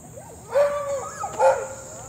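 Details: A dog ahead on a walk barks at a passing leashed young Belgian Malinois: two tonal, wavering barks about a second apart, over a steady thin high whine.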